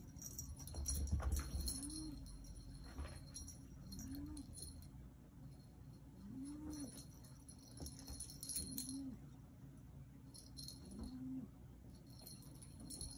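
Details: Yoda the black Maine Coon cat chatting in soft low arched trills, six of them about every two seconds, over a constant hum with occasional jingling.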